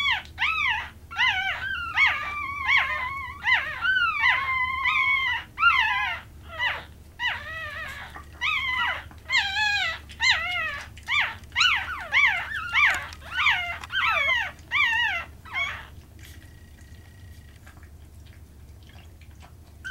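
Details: Baby Chihuahuas, purebred applehead puppies, keep up a run of quick, wavering whines and squeals, about twenty in fifteen seconds, some bending up and down in pitch. They then fall quiet, leaving only a soft low room hum.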